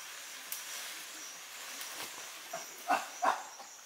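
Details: A chimpanzee eating a young colobus in Gombe National Park, Tanzania, gives two short, rough calls in quick succession over a steady background hiss.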